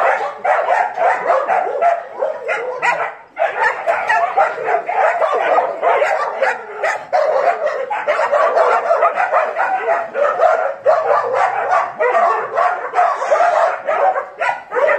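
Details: A pack of dogs keeps up a dense, excited chorus of rapid yips and barks, overlapping voices repeated several times per second, with one brief lull near the start.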